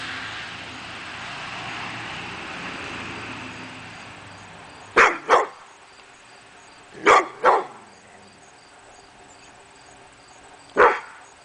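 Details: Male pit bull barking at nothing one August 2012 morning: after a quiet, rumbling stretch come a quick pair of barks, another close pair two seconds later, then a single bark near the end.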